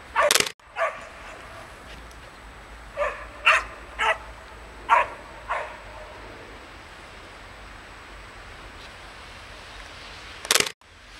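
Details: Young Samoyed puppies out in the snow yap in a loose series of about six short, high barks, with two loud thumping knocks at the start and end.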